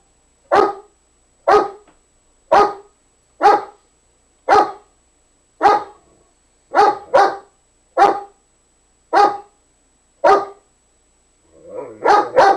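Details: Domestic dog barking in a small indoor room, trying to coax another dog into play: single sharp barks spaced about one second apart, ending in a quick double bark.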